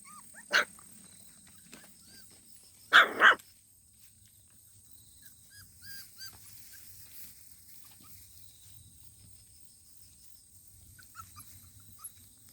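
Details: Puppy barking outdoors: one sharp bark, then a quick double bark about two and a half seconds later, followed by quieter faint sounds and a steady high background hiss.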